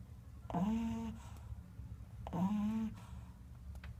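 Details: Pug asleep indoors giving two humming snores, each a half-second tonal drone with a quick upward start, about two seconds apart over a quiet room rumble.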